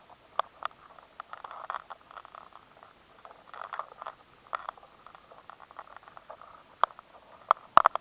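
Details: Weevil larvae scraping inside stored rice grain, finding the grain harder to gnaw: sparse bursts of dry crackling and scratching separated by quiet gaps, with a few sharp louder clicks near the end.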